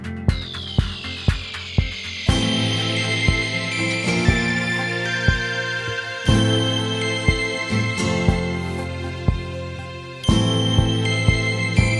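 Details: Upbeat instrumental music with a steady beat, chiming bell-like tones and a sweeping falling synth at the start, with no animal voices.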